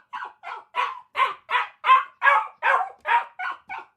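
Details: Eleven harsh, full dog barks in four seconds, delivered in a fast, regular series that grows louder toward the middle.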